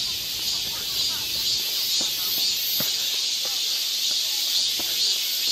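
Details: Cicadas singing together in a park forest in Seoul's Yangcheon-gu in summer, a loud even high hiss with faint ticking notes from other birds underneath.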